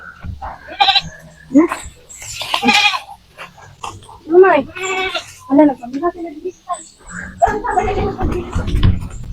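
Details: Goats being herded on a farm as part of a daily routine: several quavering, nasal bleats rise and fall at intervals of a couple of seconds, mixed with people's voices and rustling.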